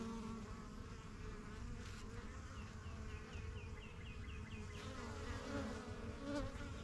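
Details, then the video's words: Honey bees at a busy backyard hive, the yellow box and strongest of a first few hives started in spring 2023, flying in and out; dense steady hum with overlapping wing buzzes, plus a faint repeated chirping bird call midway. "BUSY BEE HIVE AMBIENCE"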